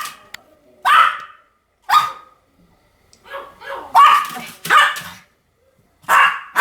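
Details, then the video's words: Pomeranian barking in short, high, harsh bursts, about six barks spread unevenly with quiet gaps between them; a faint voice-like murmur sits between some barks. "犬の鳴き声 ポメラニアン 1000回吠え"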